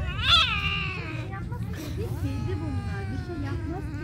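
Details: Street kittens squabbling after feeding: a sharp, high rising-falling scream opens, followed by drawn-out descending wails and lower overlapping meows against a constant low background rumble.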